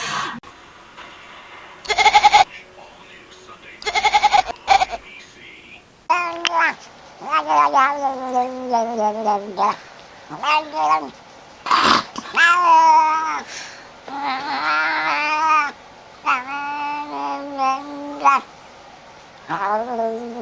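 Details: A talking cat gives a run of drawn-out, wavering meows, some rising and falling in pitch, after two short musical bursts at the start.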